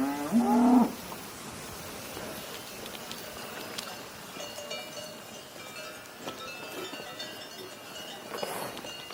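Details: Short cow moo at the very start, then several seconds of quiet outdoor background with scattered clicks and taps.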